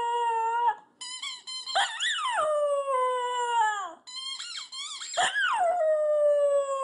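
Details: Dog giving long drawn-out howls, a steady tone sliding up then sagging downward, two long phrases broken by a short pause, with bright overtones and no other clear sounds.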